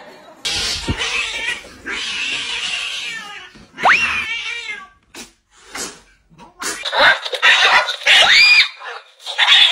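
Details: Domestic cats fighting, with harsh hissing and spitting bursts, a sharp rising yowl near four seconds, then loud overlapping screeches and wailing caterwauls that climb and fall toward the end.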